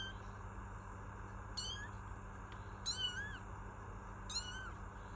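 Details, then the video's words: Kittens meowing softly, three short high meows spaced about one and a half seconds apart, the middle one longest and slightly falling, over a steady low hum. "Kittens Meow || Kucing Mengeong || Meow Sound Effect || Kitten Sound"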